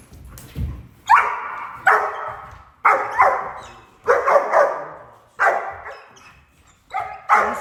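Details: A German Shepherd in a breeding and training program, one pup just over five months old, is trained to bark on command using prey drive and a flirt pole. It gives loud, sharp barks about once a second.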